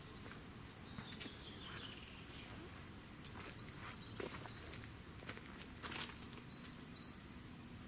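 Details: Steady high cicada buzzing, recorded in 2017, runs beneath crunching footsteps and clicks close by, with a few faint bird chirps in the distance.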